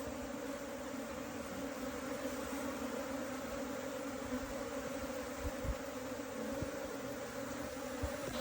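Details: Asian honey bee colony being rescued from a canal, a steady, dense droning hum with a low, even tone holding throughout, soft clicks and knocks scattered underneath.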